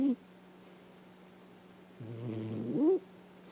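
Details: Sleeping indoor cat, about ten years old, snores through a dream: a brief clipped snort, a pause, then one drawn-out rumbling snore that rises in pitch before stopping, with a constant background hum.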